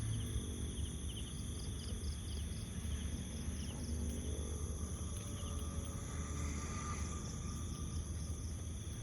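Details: An insect chorus of steady, high, ringing trills, recorded while walking through a jungle, over a low rumble of footsteps and handling noise.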